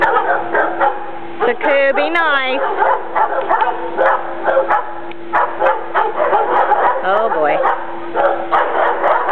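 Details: A heavily pregnant female Alaskan Malamute, due to have puppies in about two weeks, grumbles and growls in rough, wavering bursts while guarding her corner against the other dogs, as a woman talks over it.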